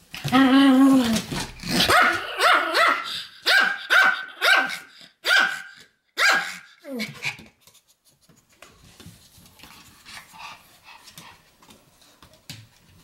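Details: Pomeranian 'lecturing' with a long drawn-out harmonic bark followed by a rapid run of about eight short, sharp barks that fade into quieter rustling and faint noises.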